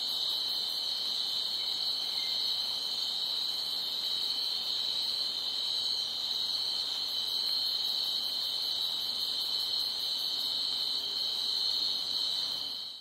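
Crickets chirp together in a dense, steady, high-pitched night chorus that never pauses.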